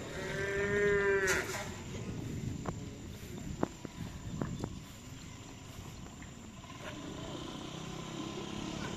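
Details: Cattle at a karapan sapi bull-racing training session at the Nyobunih field in Galis, Bangkalan: one harmonic moo of just over a second opens, then crowd murmur, clatter and steady outdoor background noise.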